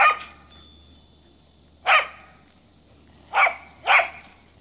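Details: Kaya, a Cardigan Welsh Corgi, barks during snowy play, frapping outside. There are four loud yappy barks, one opening, one near two seconds and a close pair near the end.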